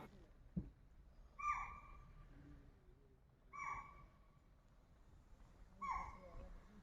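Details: A chital in Bijrani Zone, Jim Corbett National Park, calls on and on during a tiger-sighting wait while langurs and monkeys stay silent: short, shrill barks that drop at the end, about every two seconds.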